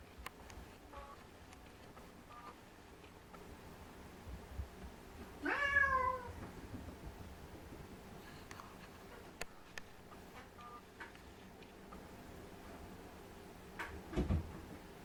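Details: A white Munchkin cat sitting on top of a refrigerator gives a single rising-falling meow about midway, with quiet room background and a few faint clicks.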